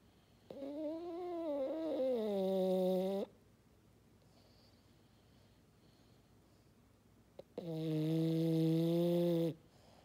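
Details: French Bulldog named Maddi snoring like a fog horn: two long, loud, tonal snores with stacked harmonics, the first wavering in pitch, separated by a quiet gap of about four seconds.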